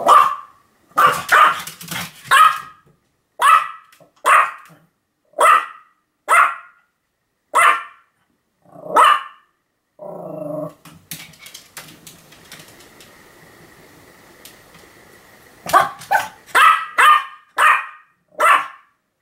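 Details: Continuous barking from Sam the Pomeranian, 7 October 2015: a steady run of high, clipped barks about one per second, broken by a low wavering grumble and a quiet stretch, then a fresh rapid burst of barks.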